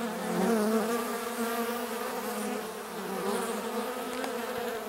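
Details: Buzzing of bees at drinking water, a short stretch of dense wing hum with shifting droning tones, one nearer insect briefly louder near the start.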